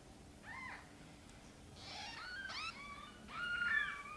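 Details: Gentle meowing from the mother cat Sonny as she asks for help getting her tiny kittens into the nest: four short, varied meows, some rising sharply, others drawn out and wavering, growing louder toward the end.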